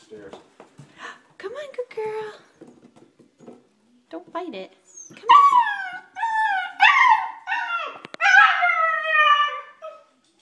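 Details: An 8-week-old female German Shepherd puppy, scared to come down the stairs indoors, gives high, wavering whines and whimpers that rise and fall in quick bursts, while a woman coaxes her gently with speech throughout.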